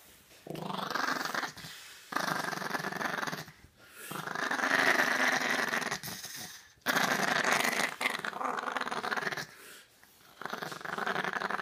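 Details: Chihuahua being dried off, grumbling continuously in long rough growls that last one to three seconds each, separated by brief pauses, with rubbing and handling noise throughout.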